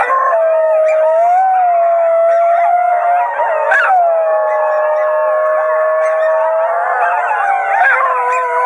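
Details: Basenjis at Wimauma sing as a group, led by a small adopted male dog: sustained, smooth, yodelling howls, one steady low tone with small bends under higher wavering voices, swelling briefly near the middle.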